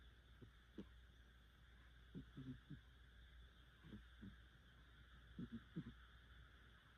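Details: Sleeping pet cat, a rescued cat possibly called Shimanagi, snoring quite heavily in cool weather: soft, low, rasping breaths in short clusters every second or two, some doubled, over a steady faint hum.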